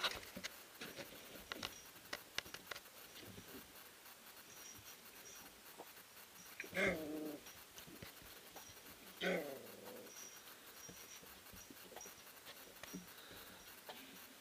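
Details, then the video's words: Three-week-old puppies of a sprint-mushing kennel, Ari x Grace litter, play-wrestling in the whelping house; two louder whiny growling bursts stand out amid soft scuffling, thumps and quiet breathing sounds. "Three Week Old Puppies Wrestling and Playing"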